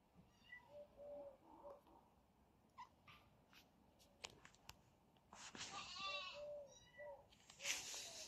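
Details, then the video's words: Two kitten brothers, one named Zerro, fighting: short mewing cries around two per second, then a burst of harsh, wavering squeals mixed with scuffling thumps and sharp knocks, ending in a loud hissing rasp. "FUNNY ZERRO KITTEN FIGHT"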